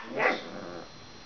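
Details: Male Shiba Inu guarding bones from a pestering Chihuahua gives his high-pitched noise, a single short, bright yip that breaks off quickly, acting tough while making a "smiling" face; Shiba Inu.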